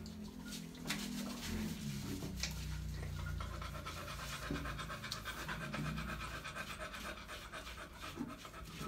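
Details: Beagle, a small compact hound breed, panting in quick, rough breathy bursts at roughly three per second, with low murmuring tones underneath.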